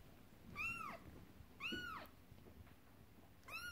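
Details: Indoor house cats: an upset mother cat and kittens playing with a horse-drawn carriage toy. Three arched, rising-then-falling meows about a second apart over steady low room noise.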